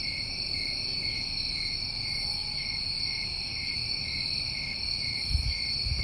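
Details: A New England summer cricket chorus: constant high trilling in layered bands, steady and unbroken, with a couple of low thumps near the end.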